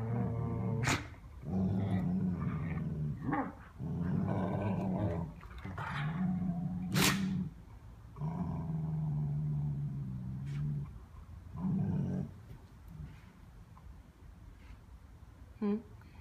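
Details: Dogs growling while playing, in rumbling low bursts of one to two seconds separated by short pauses, with a few sharp clicks and knocks between them.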